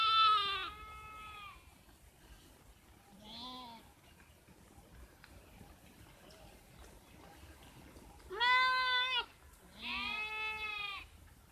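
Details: Sheep bleating in four loud, harmonic-rich wavering calls, two close together near the end, separated by quiet stretches with faint background noise.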